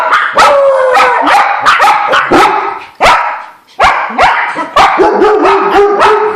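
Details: Several dogs barking in alarm at a squirrel: a rapid, overlapping run of sharp, harmonic barks and higher yelps, about two per second, with a brief pause around the middle before the barking resumes just as intensely.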